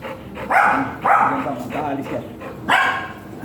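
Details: Golden Retriever at a stud service in Binalonan, Pangasinan, gives four short, sharp barks with strong harmonic onsets, spaced roughly half a second to a second apart, with human voices in the background.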